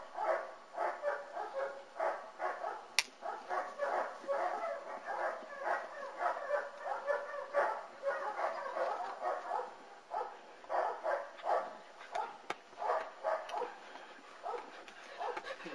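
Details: A litter of German Shepherd puppies, ten weeks old, at a kennel in Florida: rapid, repeated high yaps and barks from several pups run steadily for fifteen seconds, with brief pauses and light human chatter.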